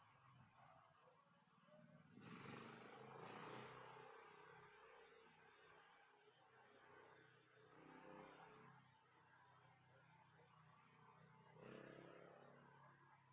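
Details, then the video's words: Relaxing night ambience of crickets giving a constant high-pitched chirping trill, interrupted by several loud broadband whooshing bursts, possibly rustling or gusts, plus a low steady hum. "Sounds of crickets chirping"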